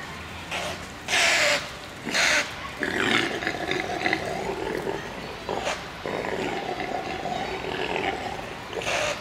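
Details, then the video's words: Impala buck roaring in a zoo: loud, harsh broadband snorts in short bursts, followed by longer stretches of throaty, grunting calls with a low harmonic buzz, some background noise between bouts. "Impala röhrt"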